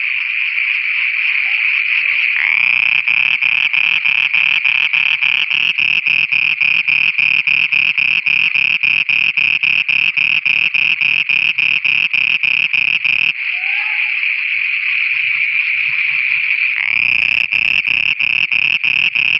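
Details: Night chorus of frogs in Pakistan: dense, rapid, rhythmic croaking pulses over a continuous high-pitched ringing tone, with short pauses in the pulsing early on and again later.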